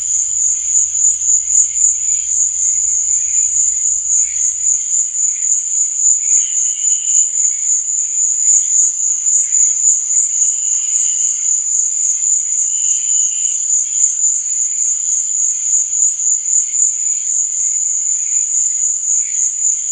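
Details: Crickets chirping at night: a continuous, piercing, fast-pulsed trill at a constant high pitch, with intermittent softer, lower chirps. A faint low rumble sounds during the first few seconds.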